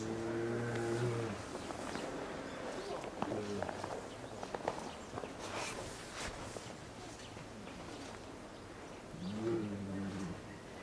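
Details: Two-year-old female polar bear Lila, kept in a cage enclosure at Maruyama Zoo in Sapporo, Japan, calls repeatedly on 19 January 2017 asking mother Lara to nurse. A long, low, humming moan opens the clip and another comes near the end, amid scattered knocks.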